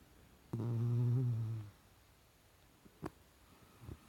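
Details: Goliath, a Chihuahua, dreaming in his sleep makes a single low, droning snore-like hum lasting about a second, steady and buzzy with stacked overtones, followed by a few faint clicks and snuffles.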